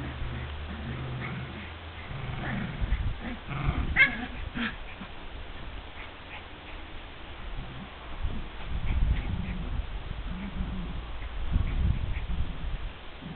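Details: Border Terriers at play with their mother: soft whimpers and short yips, a sharp burst of sound around the middle, and low rumbling noises over a steady background hum.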